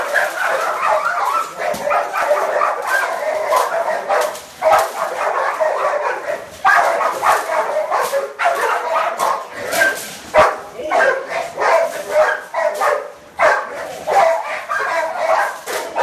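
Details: Staffordshire Terrier barking during working and protection training: rapid, harsh, strained barks in a near-continuous stream, briefly broken by short pauses, with some shouting voices mixed in.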